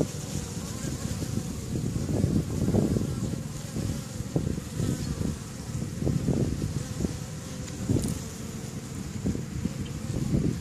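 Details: A crowd of bees working outside the hives on May 1st 2013 makes a continuous deep hum, swelling and fading in frequent short surges as bees fly near, over faint wind.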